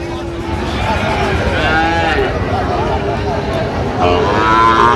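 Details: Cattle lowing at Raniganj cattle market on 6 October 2025, where a farmer from Chittagong, Bangladesh, is buying Sahiwal bulls. A long, low, steady moo sounds over dense crowd chatter and constant market noise.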